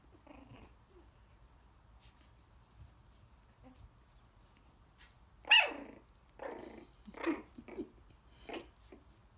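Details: Young Coton de Tulear puppies, close to four weeks old, playing and biting in their pen as their mother watches; quiet at first, then a sudden sharp yelp followed by several shorter growling yips.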